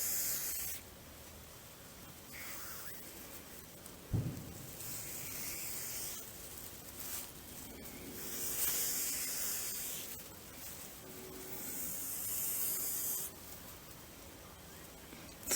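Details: Grass snake, a semi-aquatic snake, angered after being caught and handled for the first time: breathy, broadband hissing in bursts of one to three seconds, separated by quieter handling noise.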